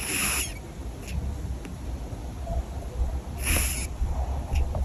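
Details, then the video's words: Asleep, a cat gives piercing snores: two sharp, hissy breaths a few seconds apart, with fainter soft exhalations between and a continuous low hum underneath. "고막 뚫는 고양이 코골이"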